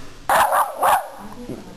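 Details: Pet dog named Shmutz barking during a training session at home: two loud, short, harmonic barks in quick succession, a brief pause between them, followed by quiet room tone.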